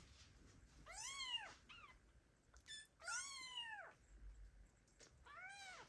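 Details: Abandoned kittens meowing loudly, calling for their mother cat, in 2022: high arched, harmonic-rich meows, two calls close together then a third near the end, with faint clicks between.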